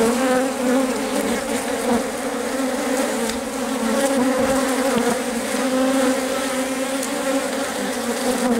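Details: Honey bee colony in the hive as the queen lays eggs, guarded and fed by workers; an even, full buzzing hum with clear stacked tones and light crackling movement throughout.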